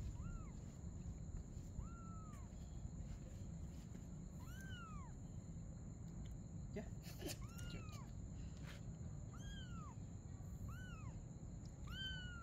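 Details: A mother cat and her kitten playing together at night; a steady run of about nine short, arched meows, each rising then falling, repeated every one to two seconds over a constant low hum and a faint high whine.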